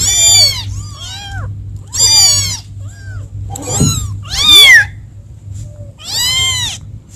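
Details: Kittens calling for mom: five or six loud, bright meows with curving, wavering pitch, spaced about a second apart, a few softer calls between them, over a faint low hum.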